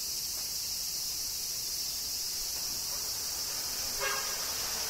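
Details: Cicadas in summer in Kyoto, Japan: a steady, hissing high-pitched chorus drones without pause, with a brief softer rustle near the end.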